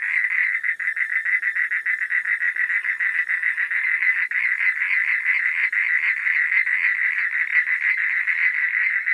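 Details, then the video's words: Frogs calling at night, a dense continuous chorus of rapid pulsed croaks centred in a mid-high band, overlapping callers with no clear gaps, faint high hiss above. "Suara Katak di Malam Hari"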